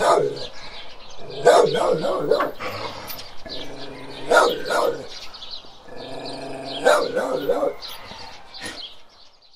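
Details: Barking from a large guardian dog, three spaced bouts of heavy, gruff woofs, each bout a rapid pair or triple, roughly every two and a half seconds.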